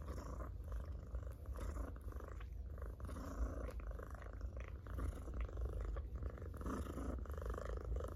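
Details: Domestic cat purring loudly while being petted: a steady low rumbling drone with fine rapid pulsing, continuous through the whole stretch, with faint rustling from the stroking hand.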